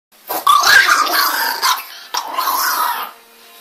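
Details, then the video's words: An angry little dog growls and snarls in two rough bursts of about a second and a half each, with a short break between them. "Very angry little dog"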